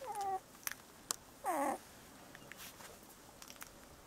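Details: Two brief, high whimpering squeals from 17-day-old Bordoodle puppies, the first held steady, the second bending downward, with soft clicks and rustles between them.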